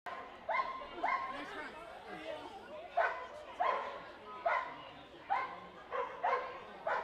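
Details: Clumber Spaniel running a qualifying Excellent Standard agility course at a club trial in Dexter, Michigan, in November; repeated short, bright barks roughly every half second to second, with faint voices behind.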